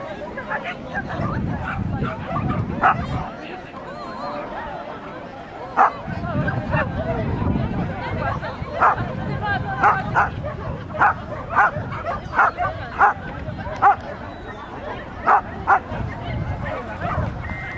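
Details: Norfolk Terrier at an agility event on 28 March 2009, giving short, sharp barks in irregular bursts, several per second at times, over steady human chatter and crowd noise.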